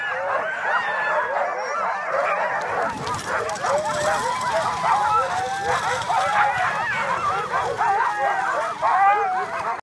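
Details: Team of huskies pulling a dog sledge at Tromsø Villmarkssenter, aurora borealis overhead during the ride; a dense, continuous chorus of many dogs yelping, barking and whining together, with a voice faintly mixed in.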